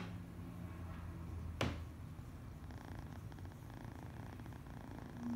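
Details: A one-eyed male foster kitten (domestic cat) purrs steadily in a soft, low rumble, showing contentment while being petted.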